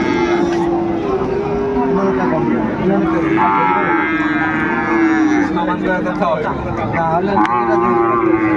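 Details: Market-day lowing among Sahiwal bull calves traded at Ambari hat in Dinajpur, 18 November 2024: a single rich, wavering moo in the middle, surrounded by constant voices and a low hum of market noise.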